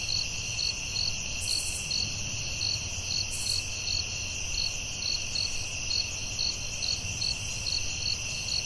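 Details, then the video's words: Crickets calling at night in a forest: a steady, shrill high drone layered with short pulsed chirps repeated about twice each second, with a faint low rumble beneath. "Soothing Cricket🦗 Sounds at Night"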